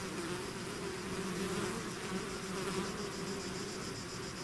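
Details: Swarming bees beyond their hive give a thick, continuous buzz, low humming bands overlaid by a brighter hiss of many wings, steady throughout.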